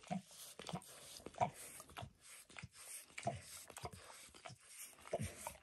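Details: Spontaneous close recording indoors of a dog grooming itself and licking a person's foot. Faint moist tongue clicks and smacks come in loose clusters with brief pauses, and there is no talking.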